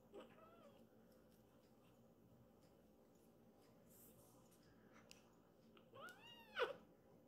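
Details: Rescued foster kitten guarding its mother, meowing to drive off a sibling who wants to play with her; a faint early mew, then a loud wavering harmonic meow near the end over quiet indoor background.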